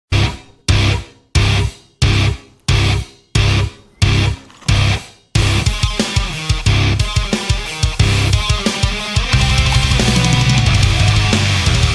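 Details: Loud heavy metal music with pounding drum hits and distorted guitar, and no animal calls.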